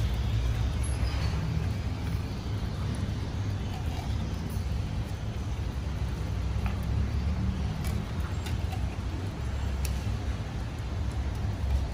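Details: Continuous road traffic rumble with faint distant voices and no meowing.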